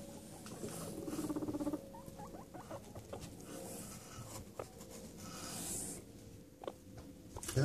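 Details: Pet guinea pigs Chucky and Stephen, two boys, come home from their daily outside activity to a completely rearranged house. A brief buzzy, pulsed rumble lasts under a second, amid scuffling, rustling bedding and a person's greeting voice.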